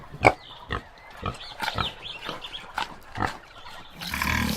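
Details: A common warthog (Phacochoerus africanus), a wild pig of sub-Saharan African savanna, gives a series of short, harsh grunts and squeals at irregular intervals.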